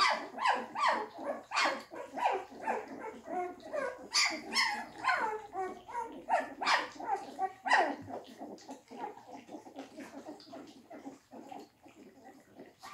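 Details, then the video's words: English Springer Spaniel puppies eating their first quark mash let out dense, overlapping high yips and squeals, fast and irregular, that thin out and grow quieter toward the end. "English Springer Spaniel Welpen"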